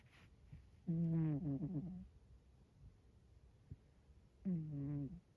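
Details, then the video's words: Sleeping Scottish Fold cat sprawled in the centre of a bed gives two nasal, wavering snores, each about a second long and falling slightly in pitch, about three and a half seconds apart, with faint breathing between. "猫のいびき！！！ 【スコティッシュフォールド】"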